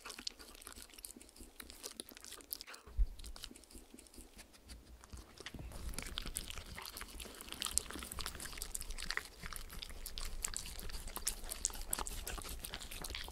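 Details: Shetland Sheepdog named Spencer, beside his friend Oreo, a miniature Schnauzer, licking peanut butter and coconut oil treats off a clear acrylic sheet. Soft wet clicks at first, then a dense, louder stream of rapid smacking licks after three seconds. No talking.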